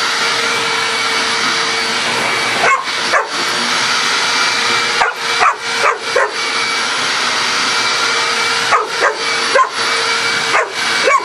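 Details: Female dog Coco barks at a household vacuum cleaner whose noise drives her crazy: a loud, continuous whine of the machine dominates, broken by short bursts of barks in clusters of two or three, spread across the recording.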